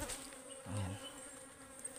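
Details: Wild ligwan honeybees buzzing as their forest hive is harvested, said to be fierce and to sting many times; an even droning hum with overtone, broken by a short low rumble and light crackles.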